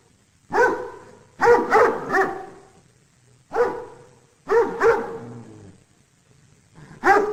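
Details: Domestic dog giving bursts of two or three rapid barks separated by short silences, each bark harsh and resonant with a faint low growl trailing after some.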